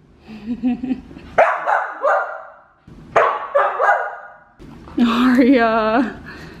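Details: Female Samoyed Aria vocalizing at home: a low wavering moan, two bursts of yappy, talkative barks that trail off, then a drawn-out howl with a wobbling, rising-and-falling tone.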